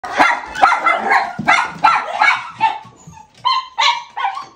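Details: Miniature Schnauzer named Jiji, about seven years old, welcoming a beloved former housemate on a home visit; a burst of sharp excited barks and yips, later turning into high whining whimpers.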